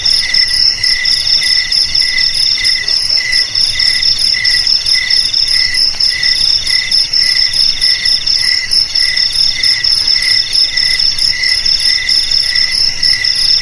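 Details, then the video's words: Crickets chirp in a dense, continuous chorus: several high, ringing trills stack on top of one another, with one lower pulsed voice repeating a little more than once a second beneath the steady shrill hum. "Suara JANGKRIK Pengusir TIKUS Paling Ampuh"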